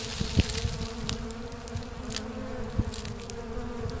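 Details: A natural colony split of Apis cerana, the Asian honey bee, produces a steady low buzz under repeated sharp clicks and taps, a few louder knocks standing out over the drone.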